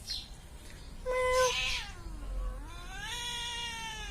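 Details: House cat producing a short sharp meow followed by a low, dipping moan that rises again into a long, steady whining call, the sound becoming nasal and drawn out toward the end.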